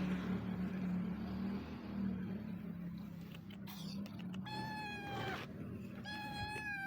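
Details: Hungry street cat, a stray, calling with two clear meows near the end, each level and harmonic-rich, after a stretch of steady low humming background noise.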